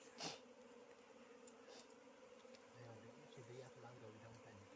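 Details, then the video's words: Continuous droning hum of wild bees during honey harvesting, even and unbroken, with a sharp knock near the start and a man's low voice talking in the last seconds. "बन मौरी को मह निकाल्दै"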